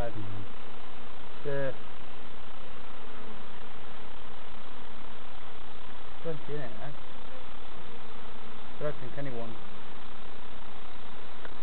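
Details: Bees buzzing during a novice hive check at Summerwood Lane Allotments and Community Garden: a constant dense hum, with short snatches of people talking at the start, middle and end.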